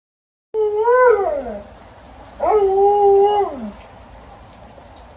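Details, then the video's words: Alaskan Malamute complaining about the rain: two drawn-out howls, the first bending upward then sliding down, the second held level before dropping away, clear and loud over quiet background. "Alaskan Malamute is complaining about the rain"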